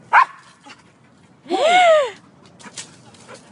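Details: Soft Coated Wheaten Terrier climbing a tree: one short sharp yip at the start, then a single drawn-out, tonal whine that rises and falls in an arch. A few faint, soft clicks and rustles follow over a quiet background.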